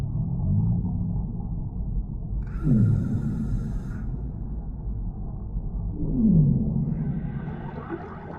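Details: Deep-sea whale calls echoing slowly over calm currents: two distinct moans glide downward about three seconds apart above a constant deep rumble, with brief airy hissing washes between them.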